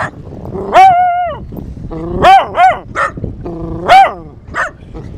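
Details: Female dog Clover howls at the beach in short bursts, with sustained, slightly wavering notes and brief yelping rises between them, against a constant rushing background.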